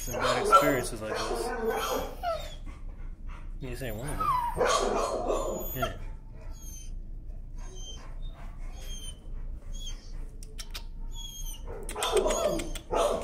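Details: Timid dog afraid of the leash, screaming and protesting against leash pressure while being walked: harsh broadband yelps in bursts near the start, middle and end, with quieter whines between and a man's voice nearby.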